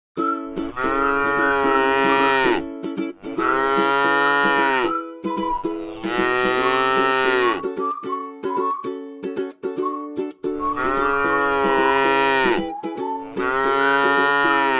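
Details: Tame cattle resting in a rice field give five long, drawn-out moos of about two seconds each, low and richly harmonic, separated by short gaps, with plucked ukulele-like music playing steadily underneath.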